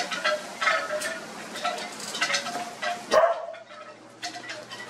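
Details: A pile of Australian Cattle Dog puppies produce brief thin whines and squeals at irregular moments amid scuffling noises from the tangle of young dogs.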